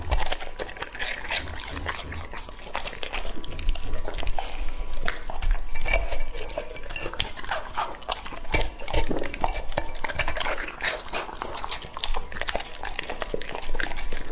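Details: Raw meat being eaten by Lucky, a male English-type Labrador aged two and a half: steady sticky chomping at roughly two or three bites a second, mixed with scraping and clattering of a dish.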